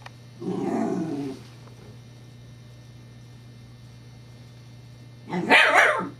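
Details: A Scottish Terrier named Evangeline at play with her teething pacifier gives a long low growl, then after a quiet gap a single loud, harsh bark near the end. A steady hum runs underneath.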